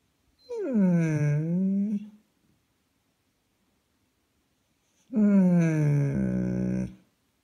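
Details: Topi, a German Shepherd with something to say, gives two long groaning yowls in a small room, each dipping in pitch then rising slightly, the second ending in a flat rough drone.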